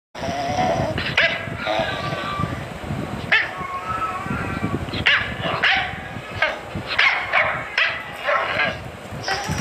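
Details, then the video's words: Dachshund barking in a home setting: a series of sharp, harmonic barks in short bursts spaced about a second or two apart, over a busy background with some voices and household noise. "FUNNIEST DOG and PUPPY Barking"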